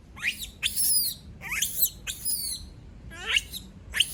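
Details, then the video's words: Female monkey screaming after being left alone: shrill, high, sharply falling squeals with strong overtones, six bursts in about four seconds, separated by short pauses, over a faint low hum. "Sound of monkey berlin scream when all leave her alone"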